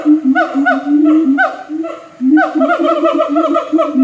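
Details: Siamang in a zoo in North Lombok, giving a run of loud, hooting, ringing notes that swoop up and down, each lasting a fraction of a second, with a short pause near the middle before the series resumes faster.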